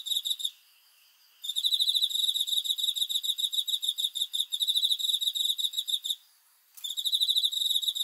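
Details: Cricket chirping at night: a shrill, high, rapidly pulsed trill with bright overtones, sung in long continuous bursts broken by two short silent gaps, with no other sounds.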